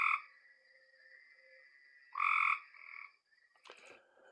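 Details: Cope's gray treefrog (Hyla chrysoscelis), Texas, e.g. around LBJ Grasslands ponds: male advertising call to females, short fast buzzy trills, less musical and quicker than the gray treefrog.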